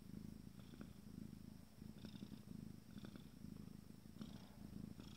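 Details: Purring from 14-day-old Abyssinian kittens, first litter, enjoying a pleasant moment; deep pulsing purr in breath-length swells, interrupted by brief clicks and faint snuffling noises.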